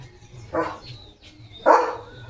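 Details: Leo, a pet German Shepherd, excited about a surprise chicken chips treat in the morning, gives two loud barks about a second apart over faint room noise.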